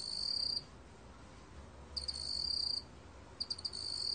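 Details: Shrill, high-pitched trill of a black cricket, 2020 National Institute of Biological Resources recording: three bursts, the later ones starting with quick stuttered clicks before a sustained buzzing ring, separated by pauses of about one second.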